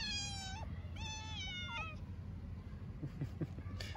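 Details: Very hungry orphaned kitten, a stray in Istanbul, calls with three strong, clear, high-pitched meows in quick succession, each slightly falling at the end, followed by soft clicking sounds and a final short meow.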